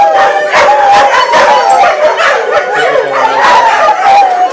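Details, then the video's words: Several adopted greyhounds howling together at an outdoor picnic in Atlantic Canada in 2010; overlapping wavering howls with yips, a dense chorus sustained throughout. "Greyhounds singing!"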